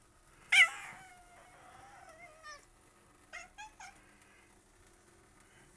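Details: Domestic cat indoors chittering out a window at birds, which then flew away: a sharp opening click, a long wavering tonal call, then a quick burst of three or four short clipped chirps.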